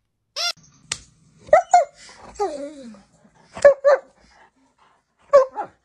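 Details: A pet dog indoors giving a few short, sharp barks in scattered pairs, separated by pauses, with a human voice speaking between them.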